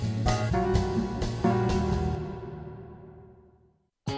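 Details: Jazz band music with drums, brass and saxophone, fading to silence before a brief loud burst; no animal sound is heard.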